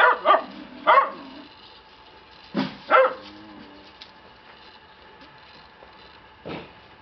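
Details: Young male black Shiba Inu from a breeder's kennel letting out two quick yaps, then another pair after a pause, and one last bark after a longer silence, over a faint steady hum.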